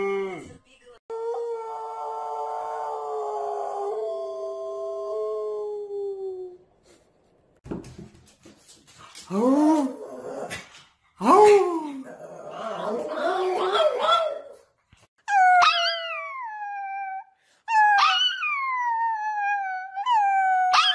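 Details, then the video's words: Domestic dogs howling in short bouts: a long steady mid-pitched howl rich in overtones, then broken wavering cries, and finally higher howls that slide downward and repeat, separated by short silences. "Funny Dogs Howling - Funny Puppies Howling"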